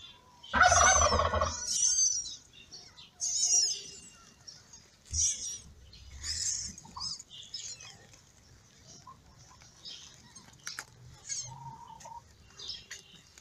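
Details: Newborn kittens of a ginger mother cat, born in May, crying while sleeping and feeding: a loud burst of squealing mews at the start, then sparse thin high cries with rustling and a few soft thumps.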